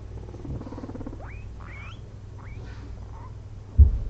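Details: Two pet guinea pigs napping after a long day of munching frozen blueberries; three or four short, thin whistled squeaks sweep sharply upward over a steady low hum, then a dull thump near the end.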